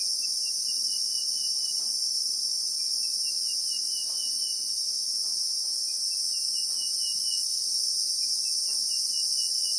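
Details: Christmas beetle in South African bushveld, recorded in real time: a steady, shrill, unbroken high-pitched buzzing drone of two layered tones, with a faint repeated bird trill in the middle range and soft ticks beneath.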